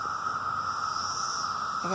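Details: Cicadas, many flying around, give a steady, unbroken high drone like a distant siren, holding one pitch throughout, on a day of rain and thunder. A voice cuts in right at the end.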